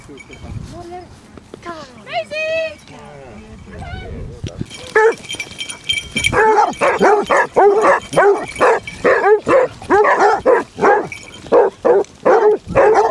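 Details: Basset Hounds on a pack walk of 16 hounds over Marlborough Downs, North Wiltshire, in December: after early speech, a run of loud, rapid, regular harmonic barks from the pack, several dogs overlapping, with occasional higher yips.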